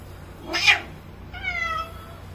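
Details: Female Bengal cat brought for a mating meeting, giving a short noisy burst followed by a clear, drawn-out meow that slides gently downward in pitch, with a low steady hum underneath.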